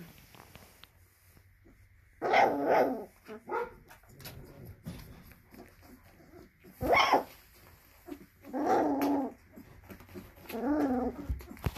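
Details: Female Belgian Malinois puppy barking in frustration at being unable to reach her mother's milk; bursts of high, raspy yapping barks and growly whines in uneven clusters, with rustling and handling noises between.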